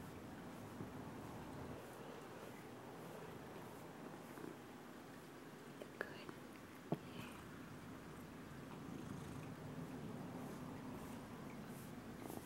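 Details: Domestic cat named Hamlet, recorded May 26, 2016, purring indoors: a soft, steady low rumble running throughout, broken by a few sharp clicks near the middle, with quiet whispered human speech over it.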